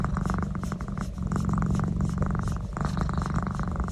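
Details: Pet cat enjoying a neck massage indoors, purring loudly and steadily: a deep, continuous rumbling throb with rapid pulsing, swelling in phrases with brief dips between breaths.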